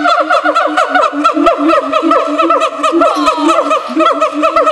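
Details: A siamang at a zoo gives a rapid run of loud, hooting barks, with a sliding whoop rising through them, as people laugh nearby.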